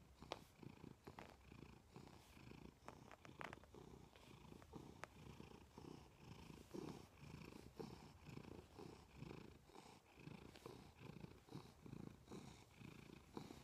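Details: Milo, a pet cat, purring loudly next to its owner in bed indoors: a low, rumbling purr pulsing steadily with each breath, unbroken for the whole stretch, with a few faint clicks.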